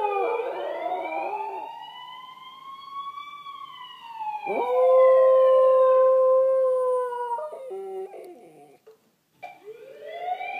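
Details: Kyotofu, a West Highland White Terrier, howls along with an ambulance siren playing on TV: a wailing siren sweep gives way to a loud, long, steady tone, then a short wavering cry.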